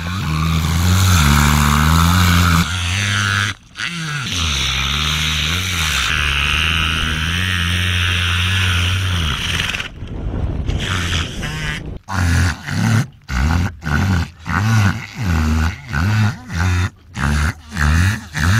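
An orca makes a low, droning, harmonic sound that mimics a boat engine, ending in rhythmic chugging pulses.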